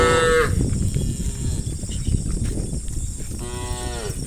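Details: Cows from a large tame herd crossing rice fields into the forest in the early morning; a short moo at the start and another near the end, separated by heavy low rumbling noise.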